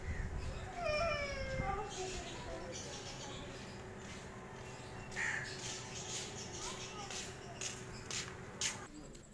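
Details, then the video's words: Cats and kittens calling: a loud, drawn-out meow that slides downward with rich overtones, then a quieter short mew later, among household murmur, clicks and light chatter. "Funny Cats And Kittens Meowing"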